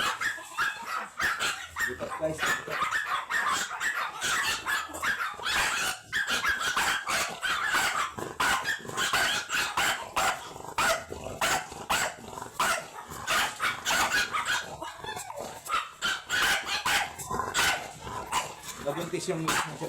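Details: Long Coat Chihuahua named Ramboo, an imported stud dog at Laoac, Pangasinan, yapping in rapid, sharp high bursts through the whole stretch, with people talking over the barks.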